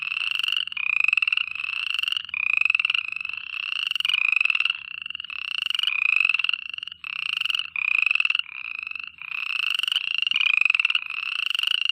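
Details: Night-time frog chorus made of rapid, grating trills repeated back to back, each burst under a second long, forming an almost unbroken rattling wall of sound; nothing else is audible.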